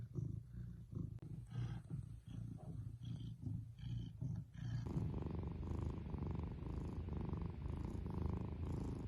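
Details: Purring domestic cat heard close up, a deep throbbing rumble in fast rhythmic pulses; partway through the sound abruptly shifts to a louder, fuller purr with a brighter breathy edge, continuing evenly to the end.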